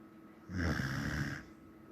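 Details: Samoyed asleep and snoring: a single low, rumbling snore lasting just under a second, rising abruptly out of quiet and fading off evenly.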